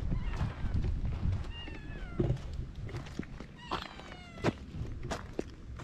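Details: Stray cats on a cat island, quickly befriending a man, filmed on a GoPro HERO8: two drawn-out, slightly falling meows amid soft thumps, footsteps and low rumbling background noise.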